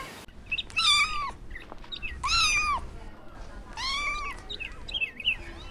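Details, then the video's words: Playful puppies in a garden whimper in high, sliding whines, three main drawn-out cries about every one and a half seconds, with softer squeaks between them. "Adorable Puppies Playing in the Garden – Cute Dog Sounds"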